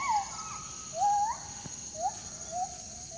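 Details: Morning calls of a forest monkey that came up to the front of a house; clear whooping notes slide upward and bend over, roughly one per second, with a faint click and a constant high hiss behind.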